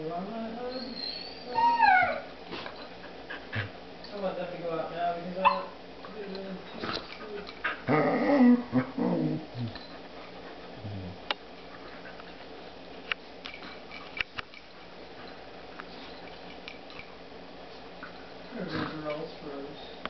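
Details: Pet dog playing with her new puppy, giving rising and falling whines and short yips in bursts during the first ten seconds, then quieter scuffling, with a person talking in the background.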